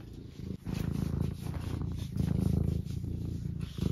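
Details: A tabby cat purring indoors while nudging toward a cup of tea, a steady low rumbling purr pulsing rapidly, louder after a short break near the start.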